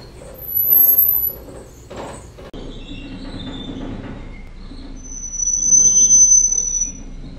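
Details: A Northern grasshopper mouse (Onychomys leucogaster) gives a thin, very high, sustained whistle, repeated later at a lower pitch; the call is played in real time and at half speed.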